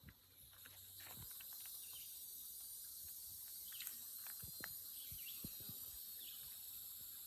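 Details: Loud insects on a country road through woods, walked with an old dog: continuous high steady buzzing drone with a thin whine above, plus scattered footsteps and scuffing.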